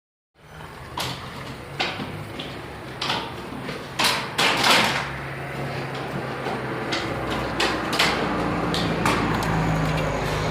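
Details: Repeated knocks, bangs and door-like clatter over a steady background hum, with no distinct animal call.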